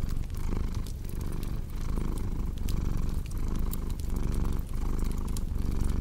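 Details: Relaxed cat purring, a deep vibrating rumble broken by brief pauses between breaths, with fireplace crackles and small snapping sounds around it.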